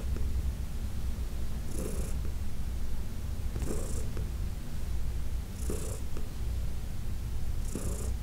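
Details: Deep continuous purring from Heidi, an arthritic senior cat adopted from the Humane Society of New York City, while being massaged indoors; brief hissing breath-like bursts break in roughly every two seconds.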